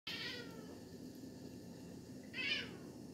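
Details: Siamese cat giving its little meow on spotting an insect, letting its owner know it has found a bug; two brief, high, chirpy meows, one at the start and one near the end, with quiet room hum between.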